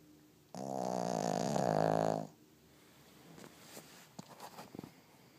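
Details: A little pig asleep lets out one long, loud, buzzy snore of nearly two seconds, followed by quiet rustling and faint clicks.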